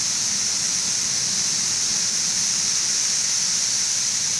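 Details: Periodical cicadas of the 17-year Brood XIV in Frankfort, central Kentucky, June 2008, about two weeks after mass emergence in late May; a dense, steady high-pitched hiss-like chorus fills the air without pause, quieter than at its peak.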